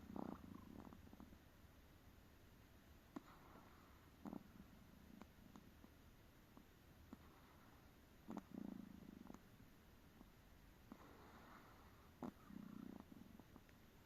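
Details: Snoring from a tired pet Chihuahua indoors, with low rasping breaths recurring about every four seconds, each a short rough rumble, separated by faint clicks and quiet breathing.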